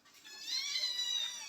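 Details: Domestic cat calling indoors after a mother cat moved her kittens to another room; a thin, high-pitched harmonic cry lasting about one second, steady and slightly wavering, with a quiet room behind it.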